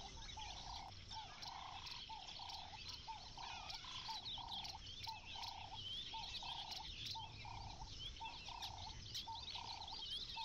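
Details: Zoo-kept dwarf mongooses at Prospect Park Zoo, enjoying holiday gift-wrap with mealworm treats hidden inside, give short, mid-pitched peeping calls in a steady run over the crackling rustle of paper.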